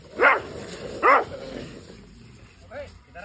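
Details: Pit Bull dogs during a fight: two short, harsh barks about a second apart, followed by quieter yelping sounds near the end, with human voices in the background.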